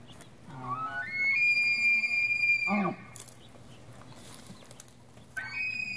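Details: Rutting bull Tule elk bugling outside a wildlife refuge visitor center in central California on 8 September 2016: a call that climbs into a long, piercing high whistle held over a second, then breaks into low, harsh grunts, with another rising whistle starting.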